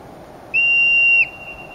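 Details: Wild hoary marmot on the Wonderland Trail at Mount Rainier in August 2012, whistling to others and warning of danger: a single loud, piercing, flat whistle lasting under a second, then quiet.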